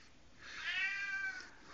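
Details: A domestic cat gives a single drawn-out meow that rises and then slowly falls away while another cat walks by.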